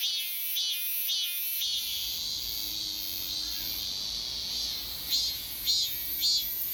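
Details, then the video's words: Korean robust cicada singing at Daegok-ri in Gapyeong, returned after a year: sustained piercing high-pitched buzz, with throbbing pulses at the start and again near the end, over a low background rumble. "가평군 대곡리 1년만에 다시 찾아온 참매미"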